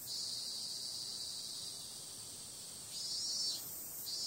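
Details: A steady high-pitched droning of cicadas at night on a summer evening holds for about three seconds, then a few louder pulsing surges rise near the end.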